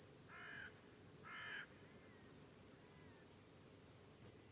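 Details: Evening crickets in a calm sunset meadow keep up a continuous high, hissing trill, while two harsh, cawing bird calls sound near the start and faint thin whistles follow; the insect chorus cuts out abruptly near the end.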